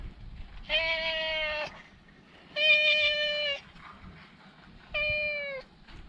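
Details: Chatty stray cat, met outdoors and petted, gives three long, steady meows about a second each, separated by short pauses, over faint low background noise.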